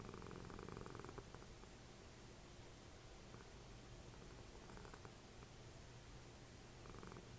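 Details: Dessie, a cuddly pet cat and mother of Fritjof, rests snuggled up while the TV plays Always Sunny in Philadelphia; a low, steady rumbling purr-like snore runs throughout, with faint television sounds and brief higher crackles above it.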